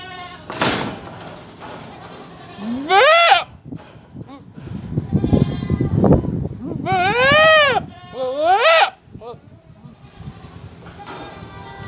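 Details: Young Boer goat buck in rut or going through puberty, calling loudly with a changing voice; two long wavering bleats with rising-falling harmonics, amid speech and background noise.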